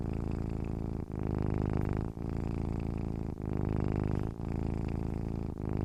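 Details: Low, rumbling hum of a happy, relaxed cat purring, pulsing rhythmically with short breaks about once a second between inhaled and exhaled phases.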